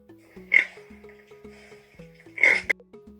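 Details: Pig sound used as a quiz question in a children's animal-sound game: two abrupt, rasping grunts roughly two seconds apart, heard over a cheerful looping tune.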